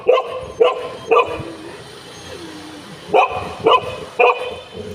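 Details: Golden Retriever, one of the pair José and Butter, with a new friend. Two sets of three crisp barks half a second apart, separated by a two-second pause, with light background noise.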